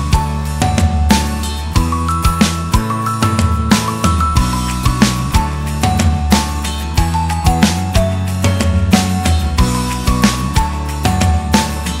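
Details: Loud background music with a beat and bright synth notes fills the whole stretch, with no animal sound.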